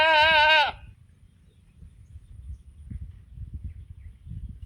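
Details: On a mountain, a sheep calls its companions to feed with a single brief, wavering bleat, followed by quiet low rustling and background noise.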